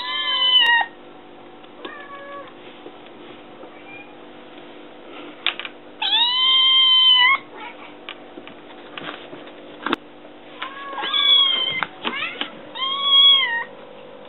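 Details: Kitten meowing indoors to demand food, also climbing onto a counter; several loud, drawn-out harmonic meows, some arching up then falling, separated by quieter gaps with scattered knocks and rustles.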